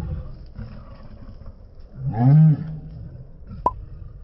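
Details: A Rottweiler gives a single deep, arching bark midway through, preceded by low background rumble and ending with a sharp click.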